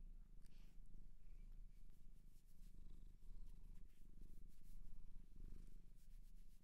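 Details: Pet cat from a Japanese shelter purring close up: a dense, low vibrating rumble with a steady pulse, swelling slightly louder toward the end, with light brushing sounds above it.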